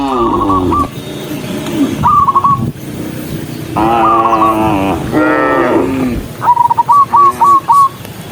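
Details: Herded cattle marching en masse: a few full, harmonic moos swell and fade between short bursts of high, clipped whistled notes, the last burst a rapid series of five or six.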